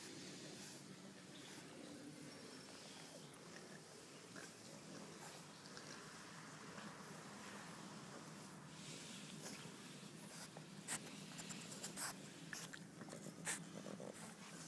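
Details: Playful French bulldog puppies in a garden make continuous low, pig-like grunts and snuffling snorts, thickening toward the end, over steady background hiss and scattered rustling.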